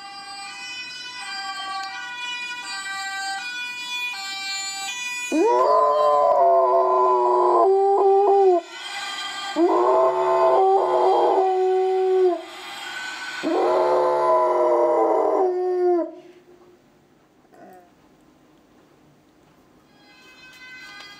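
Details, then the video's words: Pet dog howls after hearing a Dutch ambulance siren; the two-tone siren plays first, then three drawn-out, falling, wavering howls follow, each lasting about three seconds, before the siren fades into quiet. "Howling dog and ambulance siren"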